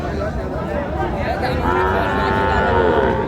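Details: Moo from a dairy cow or calf at the Raniganj haat, Dinajpur, 26/11/25. After a stretch of murmuring voices, a drawn-out, harmonic-rich bellow begins about halfway and holds steadily to the end, with people talking throughout.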